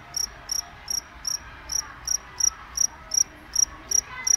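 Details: Cricket calling with clear, bright chirps repeated at a regular pace of nearly three per second, each a short pulsed burst, over quiet low background noise.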